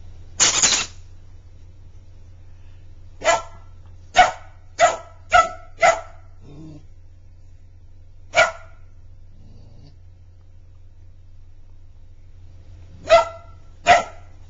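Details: Border Collie puppy Magic barking at his toy hedgehog during play: a first long bark, then a rapid run of four or five sharp barks, a pause, and two more, over a constant low electrical hum.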